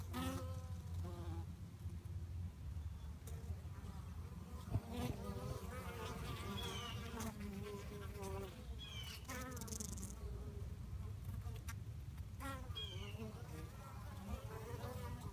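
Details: Bees fighting, possibly one from a different colony; many overlapping wingbeat buzzes that waver and slide up and down in pitch, with short rising whines and a constant low hum throughout.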